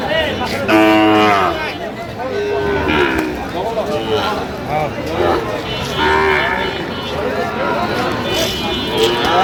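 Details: At a Sylhet cattle market in Bangladesh on 8 October 2025, Sahiwal bull calves give an opening loud moo followed by shorter, scattered lowing calls, mixed with men's chatter and a passing vehicle.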